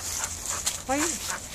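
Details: An angry Bull Terrier that is not getting what it wants gives a brief, tonal grumbling whine that rises and then drops.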